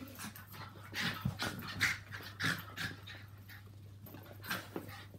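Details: Pet Yorkshire Terriers Walt and Milly and Maltese Harvey play indoors; short, sharp vocal bursts and grunts, some slightly whiny, spaced irregularly about once a second amid scuffling.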